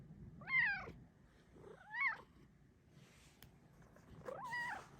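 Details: Affectionate female pet cat that follows her owner for cuddles calls three times, each meow arching up then falling, spaced about two seconds apart, in a quiet room.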